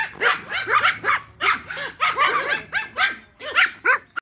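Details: Toy Pomeranian pack at play during a game of fetch, giving a steady run of shrill, rising yips and barks, roughly two or three each second, some doubled.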